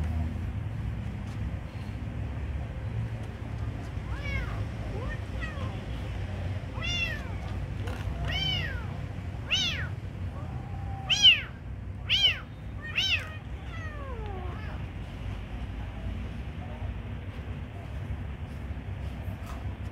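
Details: Hungry kitten being given food mews in a rapid run of short, high, arching meows, roughly one a second and growing louder mid-sequence, then a few fainter falling mews, over low background hum.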